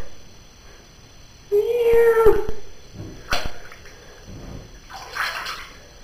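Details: A pet cat in a bath gives a single sustained meow, fairly flat in pitch, followed by splashing water and a person's voice telling it not to jump out.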